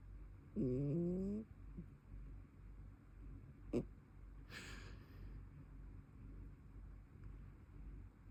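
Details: Brown tabby cat snoring while asleep indoors: one loud, low, buzzy rasp with rising harmonics near the start, then soft low rumbling breaths, a single sharp click and a brief airy hiss.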